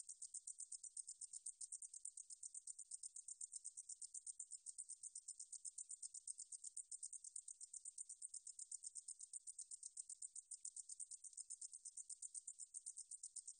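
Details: Meadow katydid (등줄어리쌕쌔기) producing an unbroken, very high buzzing trill of quick, evenly spaced ticking pulses, clean and isolated with no other sounds.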